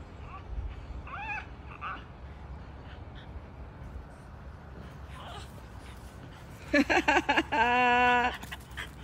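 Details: French bulldogs, a family group, waiting below a tree where they have spotted a young iguana; short high whines early on, then a loud burst of rapid yelping whines and a long strained whine, over a quiet outdoor background.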